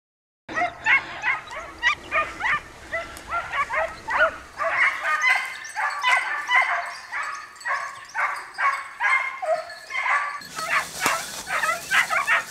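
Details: Italian hounds (segugi italiani) hunting hare in the Emilian hills or Lombard plains, Italy: rapid continuous chorus of high yelping barks and bays, overlapping, several per second, with a hiss of background noise in the last seconds.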